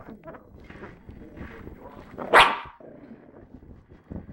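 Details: Three-month-old female Lhasa Apso puppy, described as angry, gives low grumbling sounds, then one sharp, loud bark midway, followed by quieter mutterings.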